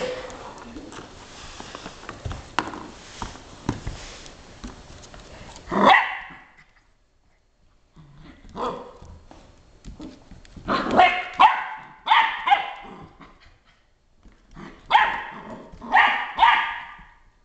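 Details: Gunner the Border Collie barking at a Swiffer dust mop; after some shuffling and handling noise, a burst of barks comes in pairs, loud and sharp, spaced by short pauses, with faint rustling between.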